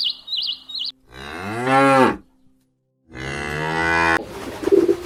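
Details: Cow mooing: two long, drawn-out, deep moos that rise slightly in pitch, separated by a second of silence, preceded by a brief wavering high chirp-like sound and ending with a short rustle.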